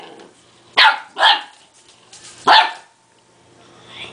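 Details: A two-month-old purebred Dogue de Bordeaux puppy, scared of a little toy, gives three short, high-pitched barks, the first two in quick succession and a third about a second later, over a quiet room.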